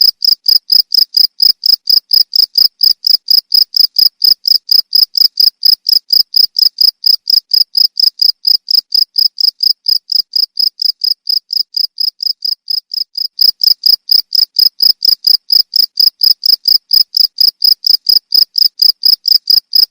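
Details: Continuous cricket chirping used to train songbirds: steady pulsing high trill, about four chirps per second, with a brief softer patch near the middle before resuming at full strength.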